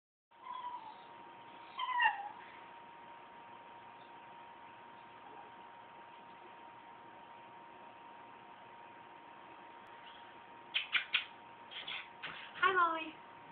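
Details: Dolly, a cat making odd noises: a short high meow near the start, then after a long quiet stretch a burst of clipped chirping calls and a falling meow near the end, over a steady electrical hum.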